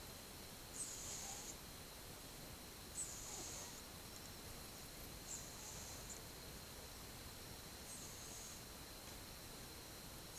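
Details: A sleeping pet cat, twelve months old, recorded on 8 October 2015, breathes softly with faint snoring; airy hissing breaths recur about every two seconds above a steady low background hiss.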